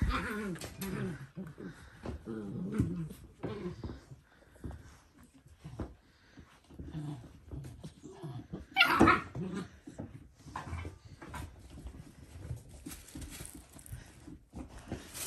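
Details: Dalmatian puppies indoors in a small room, in their last few days before going to new homes; wavering high whines and squeaks come in uneven bursts, with one loud sharp yelp around the middle, over faint household noise.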